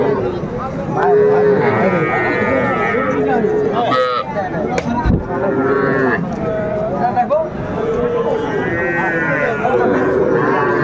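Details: Several short moos from small Sahiwal bull calves offered for sale to farmers at a busy Dhaka market, Bangladesh, 11 February 2025, scattered through constant crowd talk and haggling over prices.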